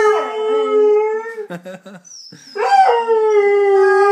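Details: Howling pet Saluki holding a steady, overtone-rich note, interrupted by a few short choppy sounds, then resuming with a rising inflection into another sustained howl.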